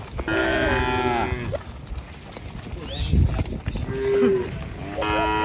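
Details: Tame cattle crossing a river bridge with their herder on a morning trek to feeding grounds near a village; one sustained moo opens, a quieter stretch with scattered small sounds follows, and another moo begins at the end.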